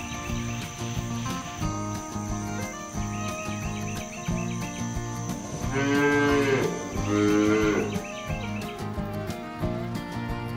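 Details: Free-ranging village cows heading home to the barn call out to their herd-mates. Two short, rounded moos come about a second apart near the middle, set against continuous rhythmic background music.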